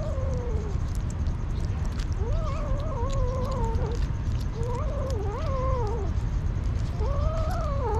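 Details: Street kitten, hungry, giving a run of long wavering meows, each bending up and down in pitch, about four cries in eight seconds against constant low background rumble.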